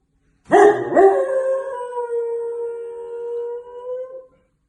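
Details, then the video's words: Single dog howl that starts with two rough yelps, then settles into one long, steady, mournful tone held for about three seconds before fading out. "Funny Dogs Howling"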